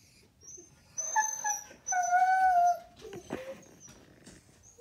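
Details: Max, a Siberian Husky, reacting to a coyote shown on television, giving high thin whining whimpers in two drawn-out tonal cries, then softer broken yips and rustling; quiet room background.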